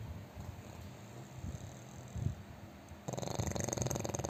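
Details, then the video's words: An overweight pug asleep and snoring heavily. Soft low breathing is followed near 3 s by a buzzy, rattling snore with rapid vibrating pulses. "น้องหมาปั๊กอ้วนนอนกรนเสียงดังหนักมาก 😴 Snoring"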